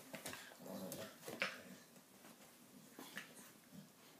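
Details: An 11-month-old Staffordshire Bull Terrier gives short, sharp yips and soft whimpers in quick bursts indoors while playing with a 7-week-old puppy step-brother.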